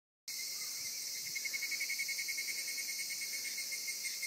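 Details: Insect song on a summer day in Zama: a dense, steady high-pitched shrill chorus with a strong band plus faint rapid pulsing, about three to four pulses per second, starting after a short silence.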